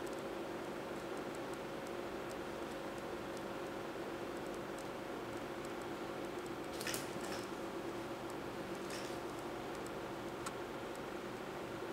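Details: Indoor room hum with a steady tone and a few soft taps and rustles, without any animal voice.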